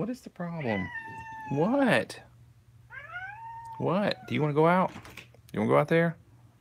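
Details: Kittens with a tabby at the Alley to Attic rescue in Alabama, recorded indoors up close on 28 May 2018, give a run of rising-and-falling meows, some drawn out and wavering, separated by short pauses, with a human voice nearby.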